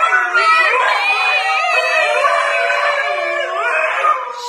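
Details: Husky named Key producing a wobbling, whining howl. Its pitch swoops up and down in a sing-song line, then dips low and trails off, with a faint burst of other noise at the very end.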